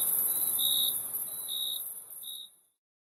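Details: Three short, high cricket chirps spaced about three-quarters of a second apart, laid over a thin, sizzling high-pitched insect hiss that fades out to silence near the end.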